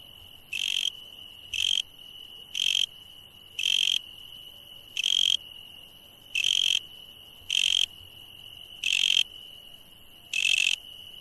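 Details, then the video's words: Night-time insect chorus with a constant high-pitched whine underneath and short, harsh, trilled bursts repeating about once a second, ten bursts in total, fairly evenly spaced. "insect sounds at night"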